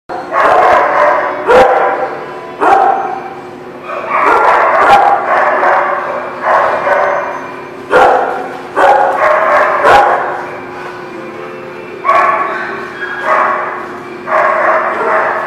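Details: Dogs at The Barking Lot, recorded 17 November 2018, giving loud rough barks in quick runs, overlapping and repeated throughout, with sharp knocks in between.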